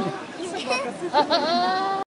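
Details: Goat (Capra hircus), bleat.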